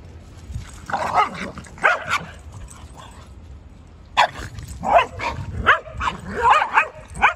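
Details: Sully the Boston Terrier, hoodie covered in mud, playing hard with Kumo, his Keeshond brother; bursts of yappy, growly barks come in two flurries, the second running four quick barks in a row.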